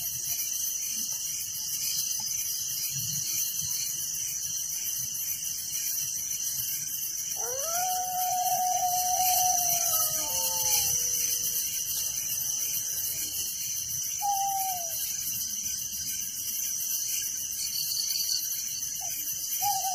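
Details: Night crickets in a village keep up a continuous shrill, pulsing chorus while a dog howls and yips midway with wavering, sliding tones, followed by a couple of short falling whines.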